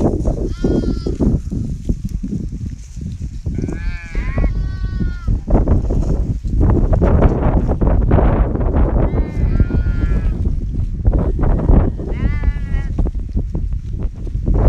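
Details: A Himalayan shepherd's sheep flock in winter: short bursts of shaky, harmonic bleats from several animals recur every few seconds above loud, continuous low rumbling and trampling noise.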